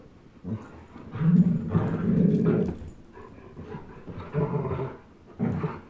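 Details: A 10.5-month-old German Shepherd and a 1-year-old Old English Sheepdog tugging at a toy together give low, rough growls that swell and fade in several uneven bursts, loudest in the middle.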